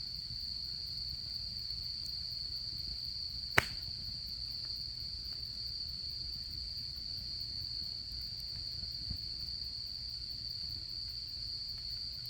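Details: Chorus of autumn insects heard by a campfire during camping season, a continuous shrill ringing trill held at one pitch, broken by a single loud snap of burning wood midway and faint scattered crackles.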